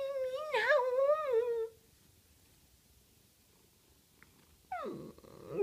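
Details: Mina, a house cat who will sometimes answer when called, gives a long wavering meow that rises and dips over nearly two seconds. After a quiet pause comes a second, falling meow in a quiet indoor room.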